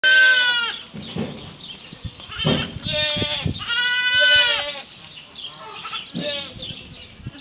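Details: Water buffalo calf a couple of months old, giving affectionate kisses, calls with nasal bleating cries lasting about a second each, several in a row, between wet smacking and snuffling noises up close.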